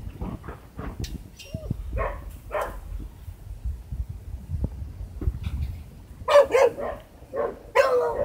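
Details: Baron, a Boxer dog at a breeder's kennel in Hamamatsu, Shizuoka, Japan, acting oddly: a few short, sharp barks come near the end, after quieter stretches of muffled thumps and voice-like sounds.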